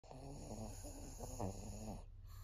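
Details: Maria, a 14-year-old senior female fawn pug in Japan, breathes in a low, rough, rattling snore with wheezy harmonic pulses over about two seconds, then a brief pause; steady faint background hiss.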